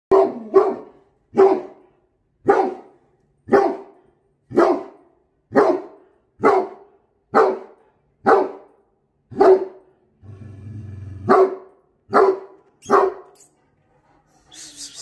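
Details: A Great Dane puppy barking at his own face in a mirror gives deep, booming barks, repeated steadily about once a second.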